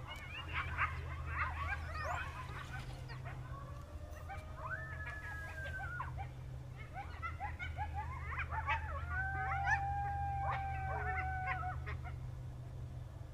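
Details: Several coyotes howl together on a late winter night in a rural area, in a wavering chorus of sliding wails and sharp, rapid yips.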